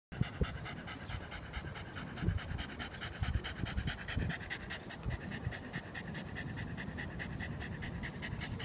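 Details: Shiba Inu on a walk, waiting in front of a FamilyMart convenience store in Tsukiji, Amagasaki, while its owner buys bread, 27 June 2015; fast, steady panting runs throughout over a low street rumble.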